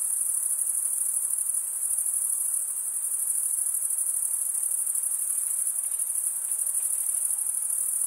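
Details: Crickets, males stridulating by running one wing's toothed vein across the other, make a dense, unbroken, very high shimmering trill with a faint pulsing texture. No other sounds are present.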